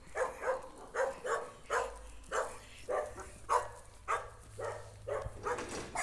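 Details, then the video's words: Jack Russell Terrier barking during a street encounter with a stray dog on a walk: sharp repeated barks about twice a second in a steady, slightly irregular series, with low background hum. "ATTACK ON A STRAY DOG jack russell terrier"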